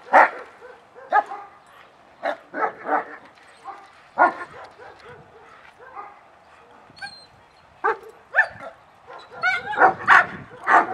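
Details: Dogs in a German Shepherd social class on 6/20/20 give energetic start-of-class reactions. Frequent loud barks from several animals come irregularly across the whole stretch, some in quick doubles, with faint voices underneath.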